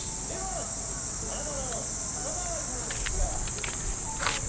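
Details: Steady piercing hiss of cicadas in trees of a Japanese park, early summer morning; lower down, faint arching tones and distant voices from morning radio calisthenics, plus a few soft crunching steps.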